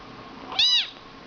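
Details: A 7-week-old British Shorthair silver tabby kitten lets out a single thin meow, high and arched, rising then falling over about a quarter second, with only faint room hiss behind.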